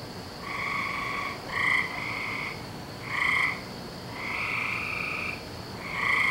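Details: Frogs heard on a May night in 2012 (17 May): bright, buzzy drawn-out croaks, some stretching over a second, irregularly repeated by more than one caller above a continuous background hiss.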